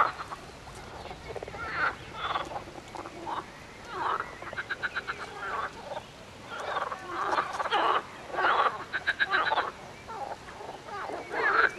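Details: Frogs calling in a chorus: bursts of rapid, pulsed croaks overlap one another, some rattling trains of evenly spaced clicks, rising and falling in loudness through the recording.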